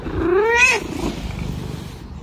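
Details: Domestic cat gives one drawn-out meow that rises then falls, lasting under a second, followed by low rumbling background noise.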